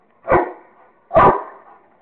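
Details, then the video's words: Kingston the Rottweiler barks while playing with a squirrel. Two sharp barks land about a second apart, each with a short fading tail, and the background is quiet. "Rottweiler playing with squirrel !!!"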